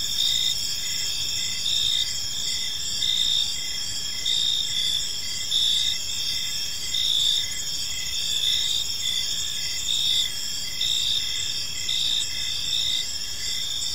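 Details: Gentle chirping of crickets in a serene park at evening. Multiple bright, high, unbroken trills overlap, pulsing in soft waves about every second throughout, over a faint low background rumble.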